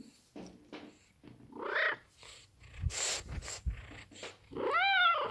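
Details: A Maine Coon cat gives soft, rising meows and chirps, being sweet and seeking affection and attention, while a woman talks nearby.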